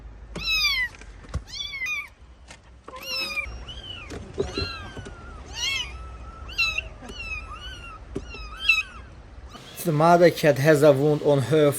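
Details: Rescued stray kitten, left abandoned for two days in -11°C snow, calls in a run of sharp, high meows that bend down at the end, roughly one a second, before a human voice takes over near the close.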